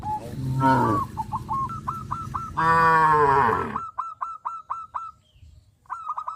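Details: Tame cows crowding around the fields as they run and jump give two moos, one short and one long and full. Bursts of fast, repeated high bird chirps run throughout.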